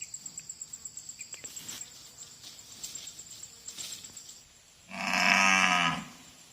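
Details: Cow about to give birth: after several seconds of steady, high pulsing cricket chirps, one loud, full, harmonic moo lasting about a second sounds near the end, then fades back to the insect background.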